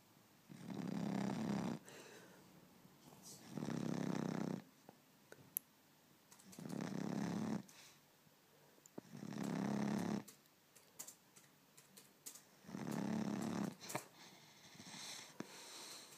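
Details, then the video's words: Blue Cane Corso puppy named Izzy, 3 months old, asleep with eyes open and snoring: five loud, rough, broadband snores, each lasting over a second, roughly every three seconds, with quiet breathing gaps between them indoors. "Cane corso izzy 3 months snoring"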